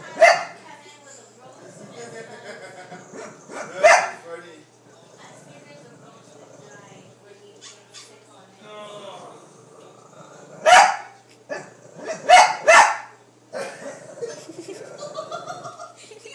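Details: A Shih Tzu barks at a mechanical toy dog, giving sharp, high barks, singly and in a quick pair, over quiet talking.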